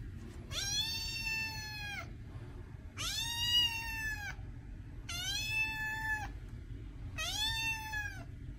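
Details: A cat repeats four long, plaintive meows about every two seconds, each drawn out with a rising onset, a level middle and a quick drop at the end.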